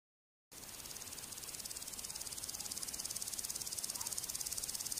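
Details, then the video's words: A grasshopper stridulates by rubbing a row of pegs on its hind legs against its forewing, giving a dry, high, hissing rasp of rapid pulses, steady and unbroken. "Grasshopper rubbing it hind lengs to make sound"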